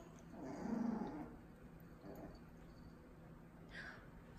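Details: Domestic dogs meeting for the first time, a two-month-old Miniature Pinscher puppy and a one-and-a-half-year-old Dachshund, indoors at home: one low, rough growl of about a second, then a shorter, quieter rumble over faint background hiss.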